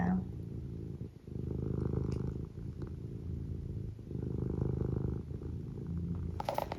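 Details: Pet cat purring, a low vibrating drone swelling and fading in breath-long cycles, with small taps and a brief human voice at the very end.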